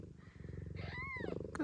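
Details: Gambit, a blue bicolour ragdoll cat at a breeder's in Australia, purring while giving birth to her litter: a steady low pulsing rumble, with a brief rising-and-falling squeak from a newborn kitten near the end.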